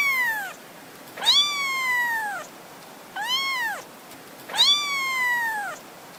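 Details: A playing kitten gives four long meows, each rising then sliding down and lasting about a second, with a steady background hiss between calls.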